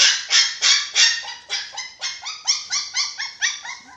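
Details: Six-week-old dachshund puppies at eating time give high, harmonic yelping whines, each sliding downward. They repeat about three times a second, starting loud and growing softer and more clipped toward the end.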